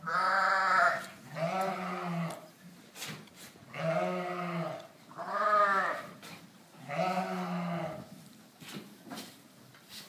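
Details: Dorper and White Dorper sheep at a ranch; a series of five quavering harmonic bleats, each about one second long, repeated roughly every second to two seconds, with faint clicks between.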